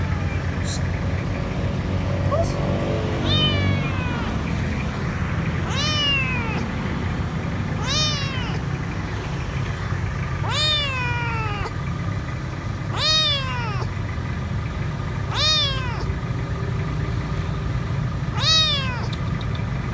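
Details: Stray kitten, alone and dirty, hiding under a food truck at a grocery store, crying for food: about seven high, harmonic, downward-sliding meows spaced a few seconds apart over steady low engine rumble, with some voices early on.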